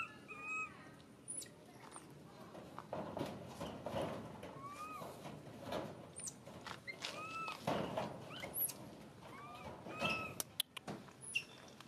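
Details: Baby monkey crying and screaming: short, thin, arched whistled cries that rise then fall, repeated irregularly through the clip, with some very high squeaks and bursts of rustling and thumping handling noise in between.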